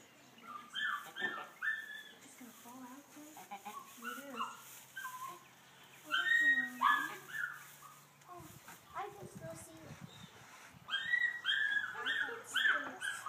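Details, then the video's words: During Meg the goat's kidding, high wavering bleats come in bursts, some drawn out and falling, with human voices talking between and over them. "Goat Birthing"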